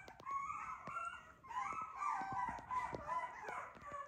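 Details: Short-legged teacup poodle puppy weighing 389 g on 12/12, producing drawn-out tonal whines that rise and dip, with a short gap before a longer wavering cry and scattered soft clicks.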